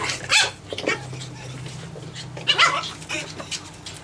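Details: Nine-week-old Japanese Chin puppies at play produce a few sharp, short high yaps in separated bursts, with a low steady hum underneath and quieter gaps between.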